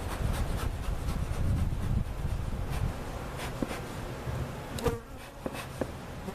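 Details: Honey bees and comb from a giant cutout hive being settled at Jerome Bee Farm, Central Oklahoma; a deep, continuous buzzing drone of many insects, with a few faint clicks and knocks.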